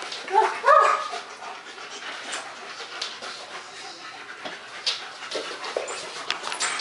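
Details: German Shepherds Max and Ace at play, September 14 2015: a brief rising whine in the first second, followed by breathy panting, shuffling and scattered knocks as the dogs romp.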